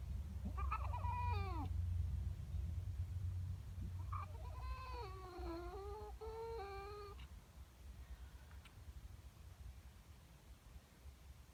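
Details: Female domestic cat upset by a neighbouring cat in her garden, morning. A short warbling cry, then a longer wavering, descending yowl, heard fairly faintly over a steady low rumble.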